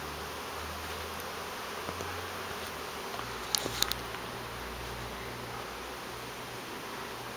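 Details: Large transient honey bee swarm in a backyard fig tree suddenly breaking loose and becoming airborne within seconds; a dense, steady droning hiss fills the recording over a low hum, with a few faint clicks and rustles.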